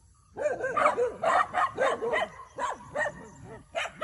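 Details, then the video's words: Four pet dogs on a morning walk in a field near a farmhouse in Chiang Mai province, Northern Thailand, on June 8, barking at a grazing horse as if wanting to play: rapid overlapping yappy barks, several per second, with a woman's voice. "Horse Stays Calm While Dogs Bark At Legs"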